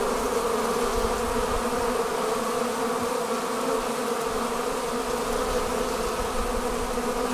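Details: A honey bee colony forming a swarm after leaving the hive fills the air with a constant, even buzz, thick and low-pitched with a brighter whine above, with no pauses.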